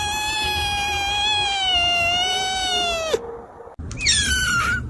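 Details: A kitten's long, drawn-out meow lasting about three seconds and sliding down at the end, then a brief pause and a shorter, higher rising-falling meow.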